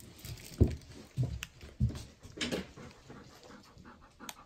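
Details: Hatch, an eight-year-old female Golden Retriever, pants indoors while enjoying toys and treats from a Doggy Box. Breathy huffs come as a few stronger puffs about every half second, then fade into softer, rougher breathing in a small room.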